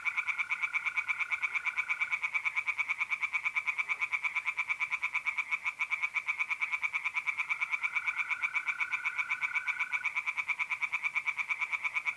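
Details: Tree frogs singing in a pond on an April night in north-east Italy: rapid, dense pulsed croaks repeating about three times a second, with a steady high trill of mole crickets running beneath in two long stretches.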